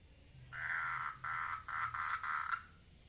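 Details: Mating frog calling in a water lily pond, giving a run of four or five buzzy pulsed trill bursts separated by brief gaps, with a faint low hum underneath.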